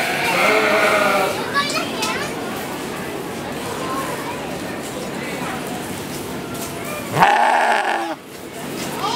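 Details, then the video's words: Goat bleating briefly near the end, a strained, harsh cry lasting under a second, after a stretch of people talking and murmuring nearby. "Baaa! Goat makes sound"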